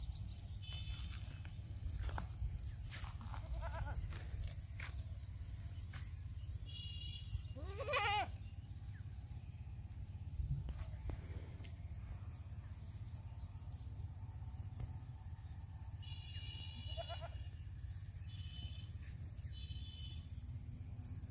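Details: Baby goat calling several times: brief bleats early on, a loud quavering bleat near the middle, then a few high thin cries later, all above a continuous deep rumbling background.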